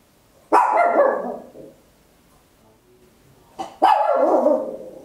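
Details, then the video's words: Two long, harsh, loud barks about three seconds apart, each trailing off slowly, from a tiny Papillon dog at home, caught in stereo on an Olympus LS-11. "Tiny Dog Barking Very Loud, Papillon"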